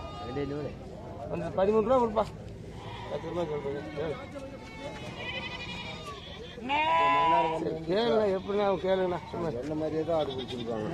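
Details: Goats at the Morpalayam Friday market in Namakkal bleat in wavering, quavering calls. A long, loud bleat stands out near the middle, with several shorter ones after it, over steady talk and crowd noise.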